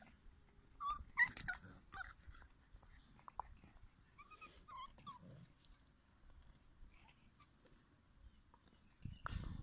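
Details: A playground of litter E puppies produces scattered high whimpers and squeaks in small clusters, separated by quiet gaps, ending with a sudden louder burst of scuffling noise.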